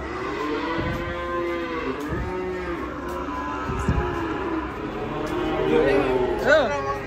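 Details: Angry cow coming down from a truck and charging into a roadside food stall, its seller hiding in the toilet; repeated harmonic moos that swell and fade, overlapping one another, with faint voices and music behind.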